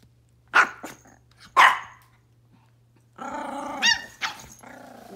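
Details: Pomeranian puppy indoors: two sharp barks, then a harmonic growling, whining vocal stretch that fades out, with a constant low electrical hum behind.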